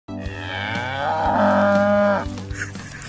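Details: Aceh cattle kept by traditional farmers in village pens along the Krueng Aceh riverbank, Indonesia: one long, loud, harmonic-rich moo lasting about a second, swelling then cutting off sharply, with faint background music.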